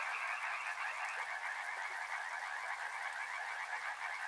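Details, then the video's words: Massed frogs near a river produce a constant buzzing wall of overlapping croaks, steady and mid-pitched, without pauses. "Frog Sounds | Soothing sounds of river and frogs"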